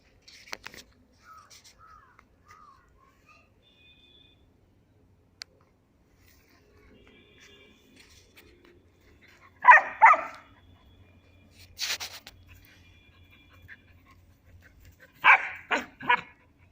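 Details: Three-month-old female German Shepherd puppy Kaali playing with a male Barbari goat at Gangeya goat farm, Muzaffarpur, Bihar; long quiet stretches broken by a few short, high, yapping bark bursts near the end.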